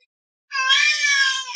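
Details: Domestic cat meowing back at its owner during an argument: one loud, drawn-out, strained meow holding steady then trailing off, following the owner's firm "No".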